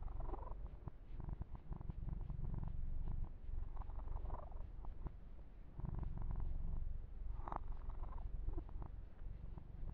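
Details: Purring of Yumak, a male pet kitten, while being massaged and groomed: a steady low rumble throughout, swelling and easing in loudness, with occasional soft rustling and handling noises of fur.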